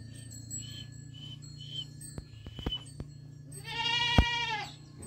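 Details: A goat kid gives one wavering bleat about a second long over a steady low hum, with scattered clicks and knocks and a sharp snap in the middle of the cry.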